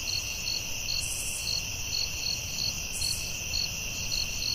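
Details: Forest crickets at night give evenly spaced high chirps, roughly two per second, over a shrill steady hum, with two short higher buzzy bursts and a low rumble underneath.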